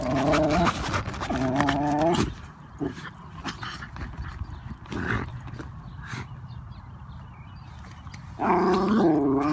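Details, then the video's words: Wire Fox Terrier riding in a stroller, straining to get out at geese nearby; two bursts of loud, harmonic, growly barking, one in the first two seconds and another at the end, with quieter rustling between. "the Wire Fox Terrier & THE GEESE"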